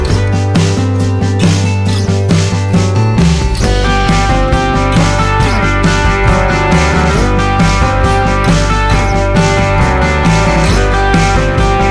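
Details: Loud rock music with guitar and steady beat fills the recording, with no animal sound heard.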